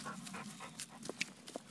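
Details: A three-legged Vizsla resting after hunting shed deer antlers, panting in quick breathy puffs about three times a second, with a few sharp clicks later.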